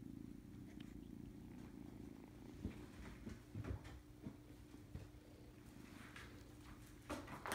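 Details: Domestic cat purring indoors in a kitten nursery where the kittens act constantly hungry: a soft, steady low rumble runs throughout, with faint rustles and small knocks over it.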